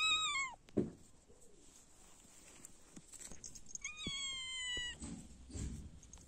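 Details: Cats enjoying warm, sunny weather: two clear, high-pitched meows, the first short and falling at the start, the second longer and level-then-dropping near the middle, with soft rustles and knocks in between.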